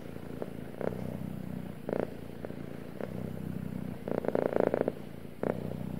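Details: A male house cat's deep, rumbling purr, pulsing in short louder surges about once a second with some crackly bursts near the end, over a low steady background hum.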